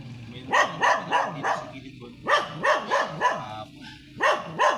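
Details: Sanji, a blue-line Shih Tzu, during a photo shoot on a sidewalk in San Carlos City, Pangasinan: short, sharp yappy barks come in quick runs of three to four, broken by brief pauses.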